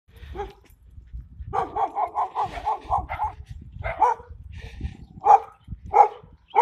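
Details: German Shepherd puppy imitating an adult Belgian Malinois: a rapid run of short yappy barks, about seven in quick succession, then scattered single barks, with low thumping handling noise beneath.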